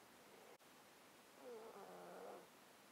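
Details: Domestic cat, male, sleeping in a box with a close-up mic; congested breathing caused by a 13-year underlying disease gives one short, wheezy, nasal snuffle lasting under a second, with a faint click before it.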